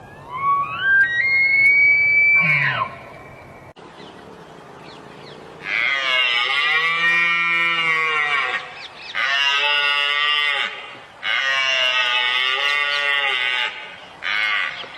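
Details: Elk; bugle; communicating during the mating season (rut)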